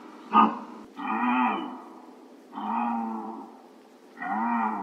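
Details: Deer calls: one brief sharp note, then three long, nasal, harmonic bleats, each lasting about a second and evenly spaced.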